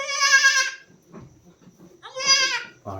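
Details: Farm goat, where a doe gave birth to a kid at dawn today: two strong, shaky, nasal bleats about two seconds apart, with faint shuffling and a voice between them.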